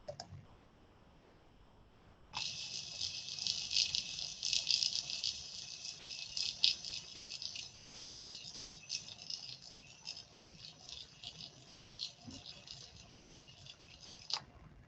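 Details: Thousands of snapping shrimp, each a couple of centimetres long, crackle together in a dense, hissing rattle like shaken maracas, recorded underwater at Gray's Reef National Marine Sanctuary, a natural hardbottom reef off Georgia.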